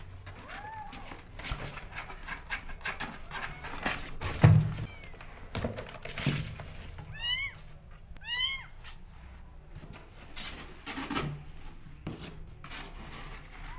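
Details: Rescue kittens competing for the feeding bottle: two short runs of thin, high mews after a stretch of thumps and handling noise in a small indoor room.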